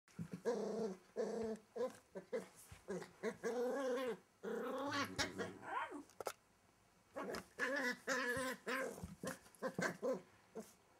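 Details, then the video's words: Welsh Terrier puppy hiding under a wardrobe indoors, giving wild-sounding growls: bursts of harmonic, whiny rumbling in quick, uneven runs, with short pauses between clusters. "Wild Welsh Terrier Puppy under the wardrobe"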